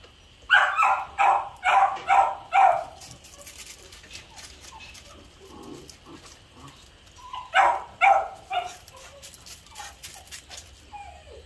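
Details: Beagle barking while guarding a young dog's food as she eats: a rapid burst of about six sharp barks, a quieter pause with low growly sounds, then another burst of three or four barks.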